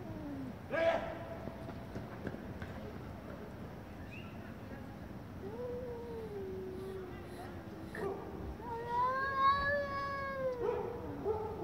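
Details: Angry domestic cats yowling loudly in chorus: brief muffled sounds at first, then two long, wavering, nasal wails that rise and fall, the second louder and more strained, over a steady background hiss.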